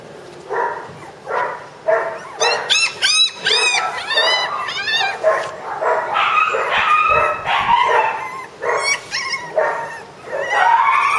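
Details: Shiba Inu puppy expected to stay mame shiba size; high, tonal whines and squeaky yelps in quick bursts, some arching up and down, repeated throughout with short gaps.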